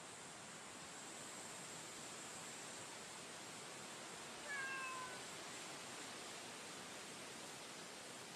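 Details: Female stray cat met on a street in daytime gives one short, descending meow midway through, otherwise steady outdoor hiss.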